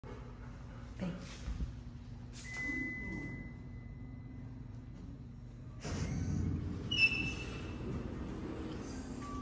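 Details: Quiet indoor space with a low hum, brief voices, a sustained electronic tone, and sliding door and mechanical sounds; no animal calls are heard.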